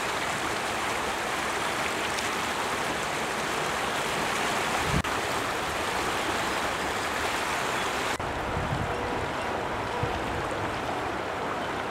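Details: Steady rushing water, like a fast stream, fills the recording with no animal voices. The broad hiss stays even throughout, with only brief splashes or knocks.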